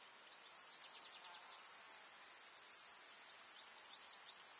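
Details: Meadow grasshoppers on a summer day in the village countryside: a shrill, steady high buzz fades in and holds level, its texture faintly ticking, with a few soft short chirps above it.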